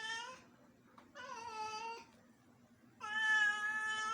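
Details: House cat in Bangalore trying to play with a house lizard, giving three drawn-out, harmonic-rich meows, the last loudest and longest, in a quiet room.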